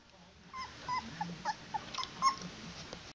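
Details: Young Old English Sheepdog puppy still nursing, having escaped its whelping box to seek more food; a run of short, tonal, slightly wavering whines repeated roughly every half second, indoors with faint background noise.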